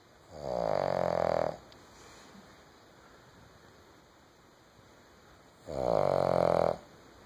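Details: A female Boston Terrier snores in two long, rasping, buzzy breaths separated by a quiet pause while sleeping on a couch.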